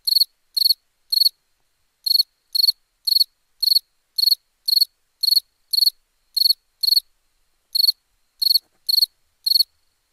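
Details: Nighttime crickets giving evenly spaced, sharp pulsed chirps, roughly two per second, in a steady run broken by two brief gaps, against silence.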